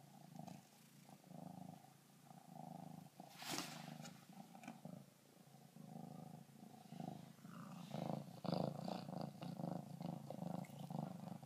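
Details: Purring kittens befriending a backyard raccoon through a glass door: a continuous low throbbing purr in breath-length pulses, joined later by louder rustling and scratching against the glass.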